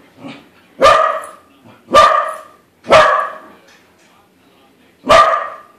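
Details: Barking Corgi facing a balloon corgi: four loud, clipped barks spaced about a second apart after a soft opening whimper, then a pause before the last bark.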